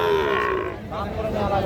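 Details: Sahiwal cattle at Panchbibi cattle market, Joypurhat, recorded Tuesday 8 October 2024; a drawn-out moo with a slowly falling tone in the first half, then a second rising lowing call, over steady crowd murmur.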